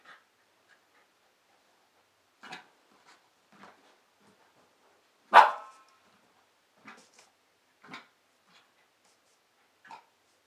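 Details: Female Pembroke Welsh Corgi, nine months old, playing with a fitness ball: one loud, abrupt bark near the middle, surrounded by scattered soft yips, huffs and small scuffling sounds.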